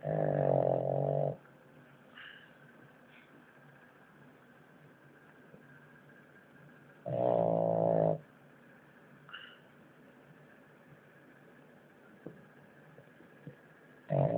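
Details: Loud rattling snores from Natsuo the French Bulldog on his noisiest day so far, each lasting about a second and coming roughly every seven seconds, with soft breathing and faint clicks between.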